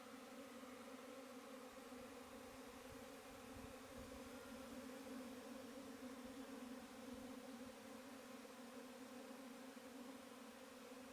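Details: Continuous honey bee buzz, a smooth humming tone holding steady pitch, swelling slightly louder around the middle, with light low-pitched rustle underneath.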